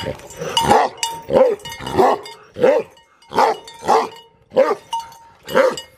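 Tibetan Mastiffs bark deeply and aggressively, booming woofs repeated roughly every second.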